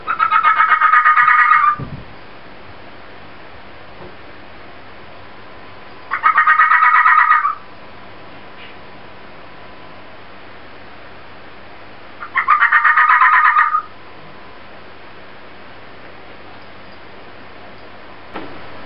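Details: Inari, a pet fennec fox, making an odd noise: three loud, pulsed, buzzy-tonal bursts about one and a half seconds long, spaced roughly five seconds apart over a steady low background hum.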